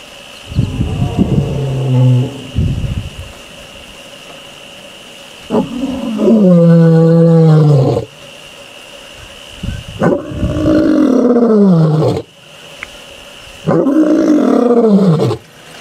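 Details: Mbiri, a male lion in the Sabi Sands/Kruger area, gives deep, drawn-out roars of about two seconds each with gaps between, recorded 26 October 2023.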